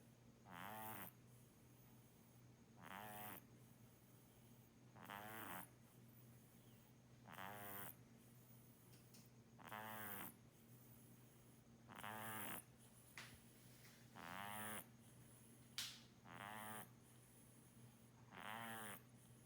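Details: Snoring of Muff, a pet kitten famous for big snores. Nine regular rattling inhalations roll in about every two seconds, each gravelly and buzzy, with a couple of small clicks and a low electrical hum between breaths.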